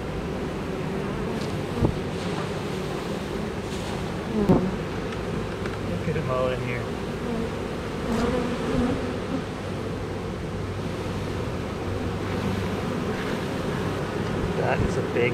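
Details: A honey bee swarm of about 20,000 workers and one queen, piled up as the queen walks into the hive; a steady low droning hum of many bees with a few brief louder buzzes passing close.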